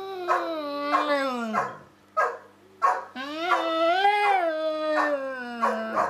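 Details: Dog talking back and forth with a person, producing wavering, arched howl-like notes broken by short yips, about one every second or so, with background music.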